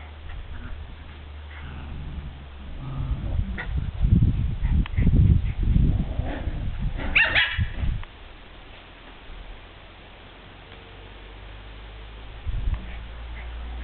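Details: Border Terriers at play with their mother Nana during their last moments together: a burst of rough, growly barks and yips with one sharper high yelp, then quiet low background hum with a faint yip near the end.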